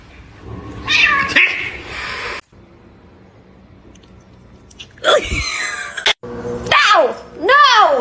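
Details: Cat in a cat fight: harsh meows and yowls in short bursts, a steep falling cry, then rising-and-falling wails, with people talking and exclaiming over them.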